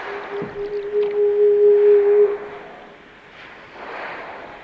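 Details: Whale song in a half-hour underwater recording: a steady low moan holding one pitch for about two seconds, then sliding down, with a faint higher overtone and a hissing, rushing background.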